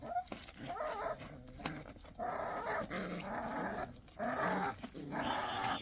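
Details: During a squabble over rank, Pungsan dog puppies give rough growling bursts mixed with a brief higher whine at the start, broken by irregular pauses.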